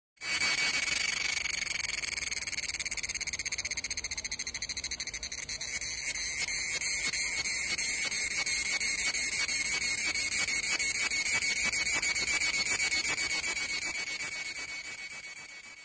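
A cicada sings a loud, sustained shrill buzz made of rapid pulses, holding steady with slight swells in intensity. The sound stays high and metallic from start to finish with no other clear voices.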